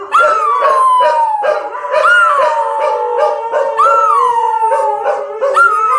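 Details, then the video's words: Dog howling in long, drawn-out harmonic tones, each starting with a rising swoop and then sliding slowly downward, renewed roughly every two seconds, with rhythmic pulsing sounds underneath throughout. "犬はあなたの心を喜びで満たすことをしました 😂 おかしな犬の動画"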